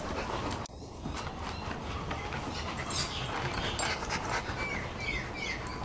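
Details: Two dogs, Rolex, a female Shar Pei, and Ellie, a Kelpie cross, reunited after five months; soft panting and scuffling under steady noise, with a few short, high, rising whines near the end.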